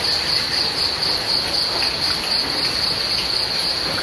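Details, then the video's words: Crickets with rain: a dense, high, rapidly pulsed chirping rings continuously and strongly over an even wash of falling rain. "The sound of rain and crickets"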